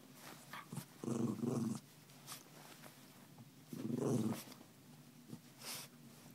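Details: Memzy the dog, playful after rousing its owner, makes two rumbling growl-moans under a second long, spaced about three seconds apart, with light tapping between.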